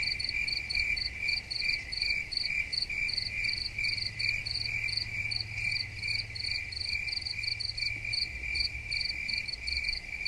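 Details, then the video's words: Gentle chirping of crickets for tinnitus relief, a steady stream of shrill pulsed chirps repeating a couple of times per second above a continuous high trill, with a soft low hum beneath. "Soothing Cricket Sounds"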